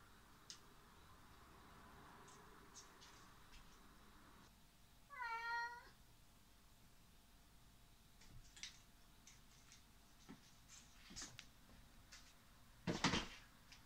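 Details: Domestic cat indoors, filmed 19 September 2019, playing with a fastener in a jungle-gym tunnel; a single short harmonic meow rises then falls midway, surrounded by scattered light clicks and rustling of play.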